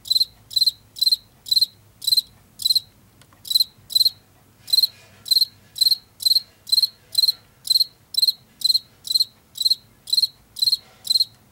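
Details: Washington field cricket, the cricket heard in late summer and fall in fields and forest edges, giving short bright chirps at about two per second, a brief pause near four seconds, then steady chirping resumes.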